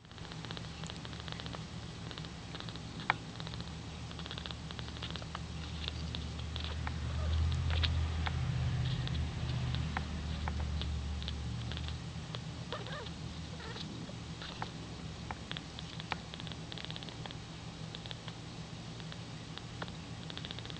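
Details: Domestic cat purring while rolling around and yawning; a low, steady rumble runs throughout, swelling louder in the middle, with scattered faint ticks and rustles above.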